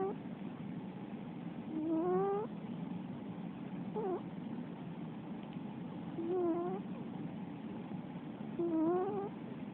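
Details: Sleeping female Russian Blue cat snoring. Four soft, rising, slightly whistled snores come roughly every two to two and a half seconds, each a short upward-sliding tone over a quiet background hum.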